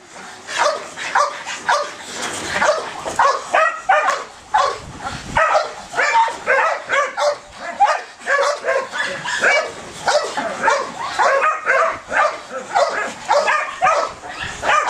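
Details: Belgian Malinois with strong ball drive, barking and yelping rapidly in dense overlapping bursts, pitched high and urgent.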